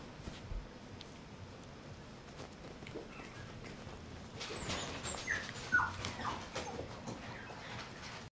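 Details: Toddling mixed-breed puppy lets out two or three brief high whines in quick succession midway through, small squeaky notes above a background of scuffling paws and faint room noise.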